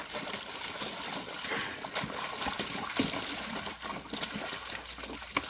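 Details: Water trickles, splashes and splatters continuously, with sharp irregular bursts of splashing and no clear animal voice.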